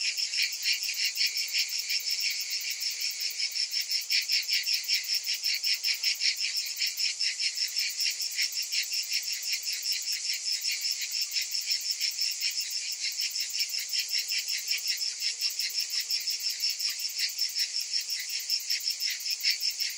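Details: Cicadas in summer keep up a steady, shrill, rasping drone, pulsing evenly throughout twenty seconds, with nothing else audible.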